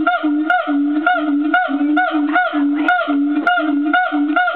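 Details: An agile gibbon at Fota Wildlife Park sings a steady run of loud, low hooting notes, about two each second.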